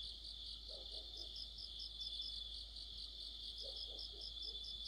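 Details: Distant autumn chorus of crickets and other insects by a street lamp, a soft continuous high trill with faint pulsing and two short bursts of low croaking sounds.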